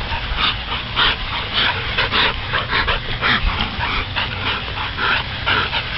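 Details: Chesapeake Bay Retrievers playing during a morning romp. Short yips and barks come in quick, uneven bursts of about two per second over a steady low rumble of background noise.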